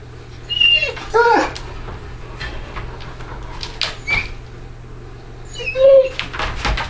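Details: Great Dane named Ghost working open his crate latch indoors; two high, harmonic whines, one near the start and one near the end, with quieter scrapes and latch knocks between them.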